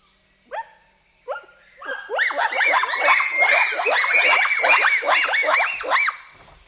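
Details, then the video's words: Bonobos, or pygmy chimpanzees, in Wamba Forest, Equateur Region, Zaire, giving a short whooping chorus: a few spaced rising hoots building into dense overlapping high arched whoops from several animals, then fading. "Pygmy Chimpanzee / Short Whooping Chorus"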